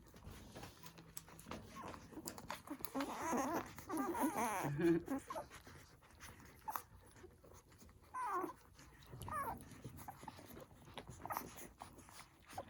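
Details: Day-old poodle puppies nursing let out wavering whimpers in a long cluster, then scattered squeaks, amid suckling noises and rustling in a small room.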